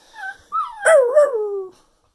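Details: Cocker spaniel at Christmas 2019 in New Jersey howling along with its owner. A soft whine rises into a wavering howl that dips and climbs once. It then glides downward and stops abruptly after about a second.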